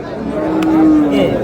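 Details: Cow at the Ambari livestock market on 1 May, among animals being bargained over; a single drawn-out, steady low moo of about one second, with market chatter and voices around it.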